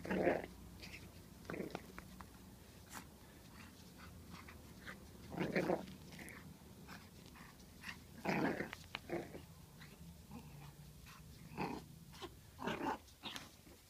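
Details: Six-week-old pug puppy attacking in play indoors, giving short rough growls and yappy grunts in bursts every one to three seconds, with quiet gaps between them and a faint low room hum underneath.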